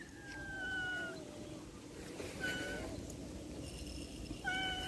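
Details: Domestic cat meowing several times, short tonal cries, some sliding downward in pitch, spaced about every one to two seconds, with faint background hum and nearby human speech.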